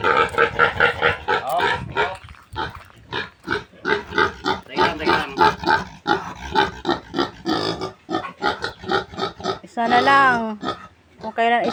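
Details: Piglets of a new sow squealing during weaning as people chase and corner them: rapid, irregular bursts of harsh squeals and grunts, a long wavering squeal near the end, with people talking throughout.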